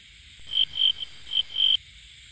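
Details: Frog calling in the rainy season, a kept pet: four bright, high, nasal croaks, each about a quarter second long, given in two pairs within under two seconds over a quiet background.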